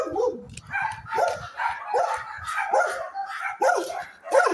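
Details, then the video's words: Dogs giving a run of yelping barks, each with a rising then falling tone, repeated roughly every half second, with a low rumble underneath in the opening seconds. "dogs barking"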